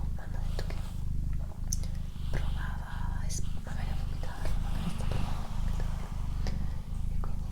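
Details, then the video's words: Doroti, a female pet cat, purring indoors: a steady low rumbling throb, broken by short breath pauses about every second, with soft human whispering and light clicks above it. "ASMR Cat Purring & Whispering"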